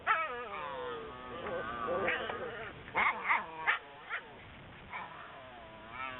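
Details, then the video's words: Whippet puppies whining in continuous high, wavering tones that overlap one another, with a cluster of short yips about halfway through against a noisy background. "whippet puppies"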